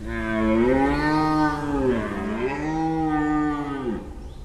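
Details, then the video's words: Sardinian red deer roaring in the rut, recorded during a roaring census in Sardinia: one sustained, deep, harmonic roar of about four seconds that swells and wavers up and down before breaking off. "censimento del bramito"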